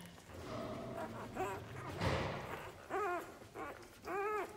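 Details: One-week-old Belgian Malinois puppies from a litter of eight (three males, five females) born 13 January 2020 to Mystic and Mac Fly give short arched whining squeals. Each rises then falls, with two clear cries near the end and soft rustling between.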